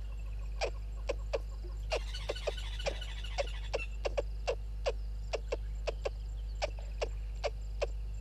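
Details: Squirrel below a camera at Gowrie dam waterhole, Djuma Game Reserve, Sabi Sand Wildtuin, South Africa, at 06:24: sharp, dry clicks repeated several times a second over a steady low hum, with a brief burst of twittering near the start.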